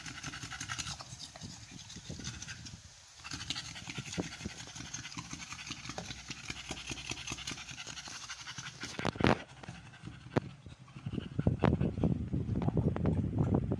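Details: Amber, a female American Bully on her 56th day of pregnancy and in labor for the first time, panting rapidly and steadily at about three breaths a second, with rustling and scratching noises that grow louder toward the end.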